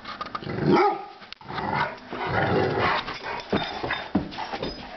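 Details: Two Rottweilers playing on New Year's Day give rough barks and throaty growls in a busy, noisy exchange.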